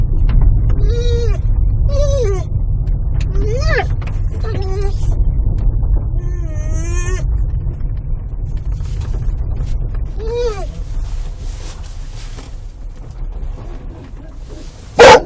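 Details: Pet dog making excited noises each time the car drives up the owner's parents' driveway, though quiet on the road; a series of rising and falling yodel-like whines, some short, some drawn out, over steady low car-engine rumble, a sharp knock at the end.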